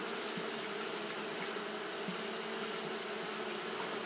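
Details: Japanese honey bees fanning continuously on a hot day: a steady, low droning hum with a few brief louder pulses, under a constant bright hiss and a high, even whine.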